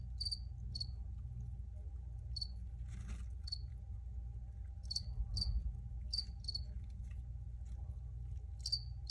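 A cricket gives short, high, bright chirps, often in pairs, over a steady low rumble.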